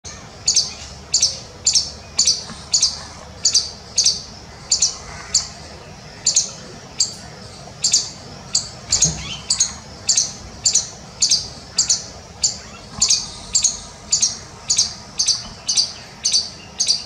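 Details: An Indian palm squirrel gives a long run of sharp, high chirps, about two each second.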